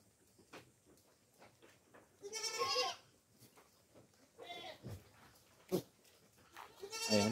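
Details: Goats raised on a farm and fed coconut pulp bleat loudly: a long wavering cry, a shorter one midway, and another rising bleat at the close, with faint background chatter.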